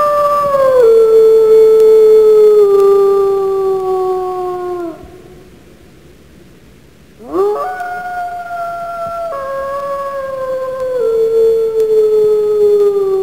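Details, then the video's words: Wolf howling: a long, clear howl that slowly slides downward for about five seconds, then a pause, then another howl that rises quickly and is held with slight stepwise drops in pitch. "Animal sounds / WOLF"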